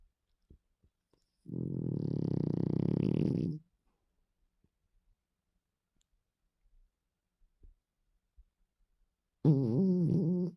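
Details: Sleeping female pet dog snoring indoors: a low, rough, rattling snore lasting about two seconds, then a long quiet pause with faint clicks, then another rumbling snore starting at the end.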